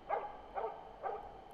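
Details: Veteran Finnish Spitz holding a moose at bay in dense thicket during an autumn 2009 moose hunt in Finland: three clear, evenly spaced barks roughly every half second, with a fourth starting at the end.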